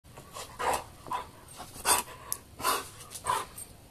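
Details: Dog panting during a game of tug of war, quick breathy bursts repeating about once a second, with light rustling of play between them.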